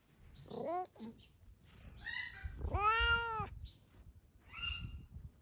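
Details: Pet cat basking in warm summer weather at home: a short chirp-like meow, then a long, full, arching meow, followed by a softer trailing call, with low background rumble.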